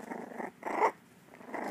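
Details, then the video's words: Miniature dachshund puppy, one of three learning to growl and bark, makes a low rumbling growl in broken bursts indoors, with a louder middle pulse. "Mini Dachshund Puppies Trying To Bark - Mini Dachshund Barking - Dachshund Dog Barking puppy"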